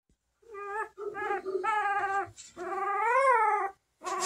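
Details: Bernese Mountain Dog puppy born March 5, 2023, indoors: short high whines, then a longer rising-and-falling whimpering cry lasting about a second, with a brief yelp at the end.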